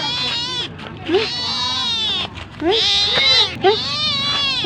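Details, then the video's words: Cat calling for food: loud, sustained, wailing meows, each opening with a short upward squeak, three or four in a row with little pause. "Suara Kucing Minta Makan"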